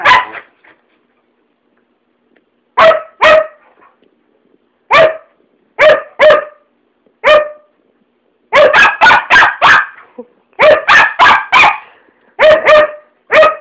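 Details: Two Siberian Huskies named Atticus and Ilythia barking for no apparent reason: loud, sharp barks in short bursts, singly and in rapid runs of three to five, separated by brief silences, with no other sounds.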